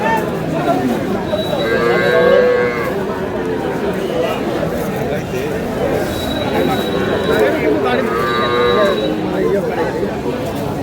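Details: A cow at Aftabganj cattle market (haat) in Dinajpur, on sale with her calf on May 19, 2026: two long, low moos, one near the start and another later, rise over a steady din of crowd chatter and bargaining voices.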